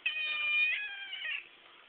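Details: Four-month-old chocolate point Siamese kitten talking back to its owner indoors: one long, loud, nasal meow of about one and a half seconds, steady then slightly wavering, with strong bright overtones, otherwise quiet.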